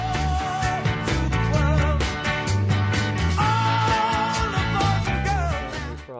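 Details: Only band music plays, with steady bass, horns and a sung melody, and no animal voice.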